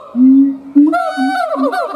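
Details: A siamang (Symphalangus syndactylus) gives a low steady hoot that jumps to a higher, wavering, ringing wail; a loud call that carries kilometers, marking territory and bonding with its partner.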